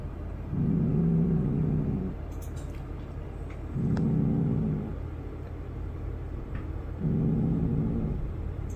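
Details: Bunny the cat giving three low, rumbling growls, each lasting about one and a half seconds and spaced roughly three seconds apart, with a quieter rumble between them.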